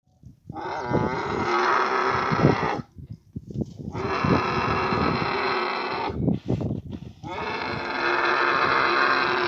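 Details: Camels meeting during the mating season in Abu Dhabi; long, rich, harmonic bellowing moans run almost continuously, broken by short pauses and rough grunting bursts.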